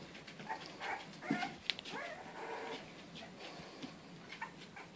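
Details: English Bulldog puppies, in-home pets in lower Western Michigan, whimper in soft, rising, thin cries while playing roughly indoors; a person talks to them over the scuffling.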